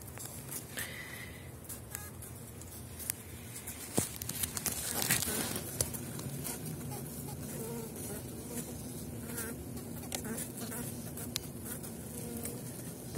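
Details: Honeybees of the Elgon line humming low inside an opened hive after wintering, a strong colony covering seven widened Warsaw frames in spring 2019; steady low drone with scattered handling knocks and faint talk.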